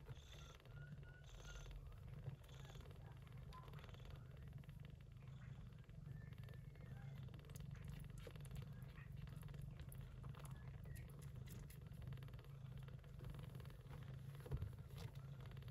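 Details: Steady low rumbling purr from Yupi, a short-haired Persian Chinchilla mother cat caring for kittens born during an early-September typhoon, holding even throughout with faint scattered clicks.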